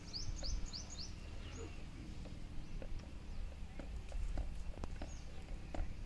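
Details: A female buffalo chewing regurgitated cud makes soft, irregular crunching and grinding over a low rumble.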